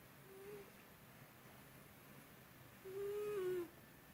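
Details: Byuri, a pet cat, snoring hard indoors, a long-standing habit that was unusually loud that day; a faint short whistling snore, then a louder, steady nasal tone lasting nearly a second, dipping at the end, over quiet room hiss.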